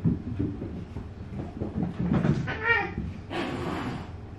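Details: Brown male Maine Coon kitten named Mufasa, 80 days old and weighing 1740 g, at a Tokyo breeder's cattery; one short, clear harmonic meow near the middle over low rumbling background and handling noise, with a hissy rustle at the end.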